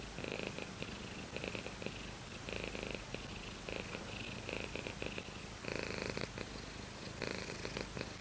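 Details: Close purring from a house cat: continuous low vibration broken into alternating inhale and exhale phases, each lasting about a second, with a louder stretch near the end.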